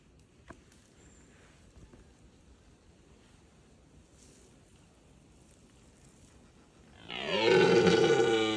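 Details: Red deer stag: after about seven seconds of quiet rustling, a loud, harsh, deep roar with rich stacked harmonics bursts out and holds steady until the end.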